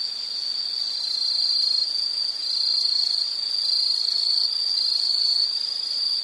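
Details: Shrill, sustained insect chirring at a high pitch that rises and falls slightly in loudness. Nothing else is heard.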